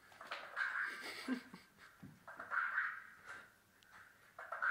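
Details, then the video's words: French Bulldog attacking again, giving rough, nasal grunting and growl-like vocal bursts in several pulses of roughly a second each, with short quiet gaps and a faint whimper between them. "french bulldog attacks again"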